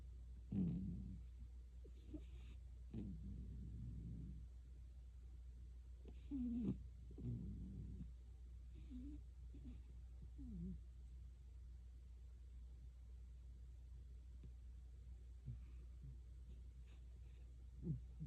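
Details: Cat snoring in its sleep, with faint, uneven low rumbles and snorts at irregular intervals, some with a brief squeak. The snores grow quieter and sparser toward the end.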